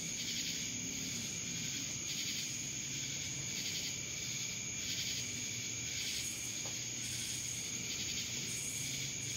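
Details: Cicadas in Dallas, Georgia keep up an intense high-pitched drone that pulses rhythmically, with brief louder bursts near the end and a constant thin ringing tone above.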